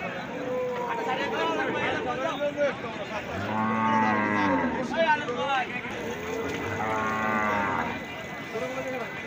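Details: At the Hardattapur cattle market, cattle moo twice, deep and drawn out with rising and falling pitch, over a steady background of people talking.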